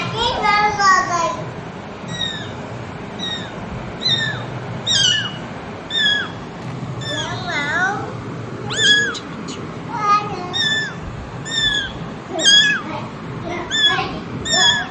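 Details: Mother cat and her kittens indoors: a busy stream of high, downward-sliding mews, some overlapping and wavering, repeated through the recording with short gaps, possibly mixed with quiet voices.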